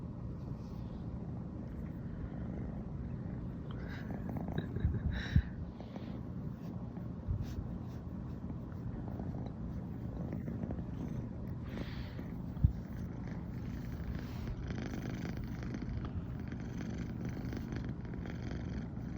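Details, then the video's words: Female brown tabby American Shorthair named Riri, born 15 September 2020, purring all morning after sleeping together for the first time; a low, unbroken rumble with a few faint rustles and brief clicks on top. "初めて一緒に寝たら、朝からゴロゴロが止まらなくなりました笑。【Cat rumbling sound】"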